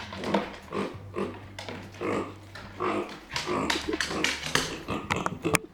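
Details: Left behind by her owners, micro pig Arya voices discontent and anger with quick grunts and snorts, alongside rattling and knocking sounds.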